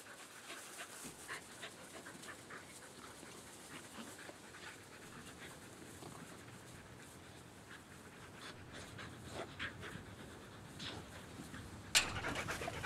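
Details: Australian Cattle Dogs, three females, resting in a backyard in fine weather: soft, quick breathy panting, roughly three breaths a second, fairly quiet, with a sharp clatter near the end.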